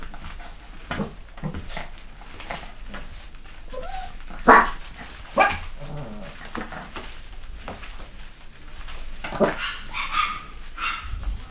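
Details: Cavachon puppies from a mixed litter of boys and girls bred in the UK in 2015. Faint, irregular little barks with two clearer sharp yips midway and a brief squeaky burst near the end, in a small room.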